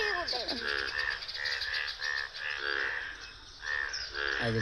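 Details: Many frogs in a village on an early cold morning call with short, buzzy, croaking notes in quick succession, while people talk briefly; the frogs seem to stop calling when they hear voices.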